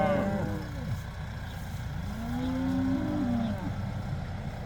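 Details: Cows let out for the first time, herd of about 80: a brief moo at the start, then a long low level moo slightly rising, over a constant low rumbling background noise.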